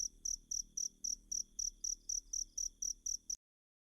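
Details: Cricket chirps played as training material to teach a magpie-robin to sing: bright high-pitched pulses repeated about four times a second, steady and even, ending abruptly in silence.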